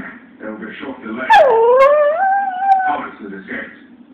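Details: Female dog whining after being asked to speak; a loud, drawn-out whine that swoops down and then slowly rises and levels off, lasting about a second and a half, with shorter yelping whimpers before and after.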